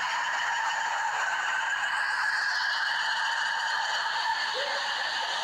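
Red ruffed lemurs call in a loud, rasping chorus that runs without a break. The voices overlap into a steady, goose-like honking roar with a nasal, grating edge.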